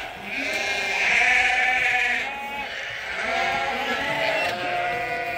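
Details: Flock of sheep at Ewetopia Farms piling up in the morning, waiting to go out to pasture for the first time this year. Dense chorus of overlapping quavering bleats, some higher and some lower, running continuously.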